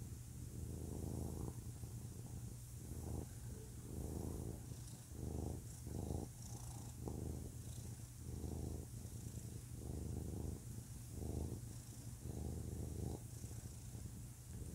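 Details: A male pet cat purring, described as a very low-pitched, real purr. Deep rumbling pulses in steady bursts with brief pauses that follow the breathing, roughly every second, with a soft background hiss.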